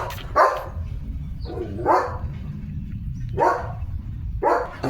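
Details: Four evenly spaced, heavy barks from a German Shepherd named Leo, romping with his owner in a green rural field in the rainy season, with steady low background rumble between them.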